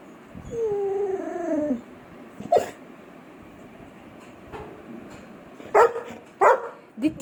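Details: Labrador Retriever whining for roti: one drawn-out, high, slightly falling whimper early on, then quiet, followed by a few short sharp knocks and bursts of indoor noise.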